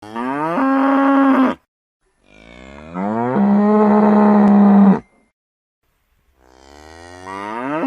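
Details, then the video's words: Cow mooing: two long harmonic-rich moos of about one and a half seconds each, steady in pitch with a slight rise, separated by silence, and a third moo starting at the end. "Som de vaca"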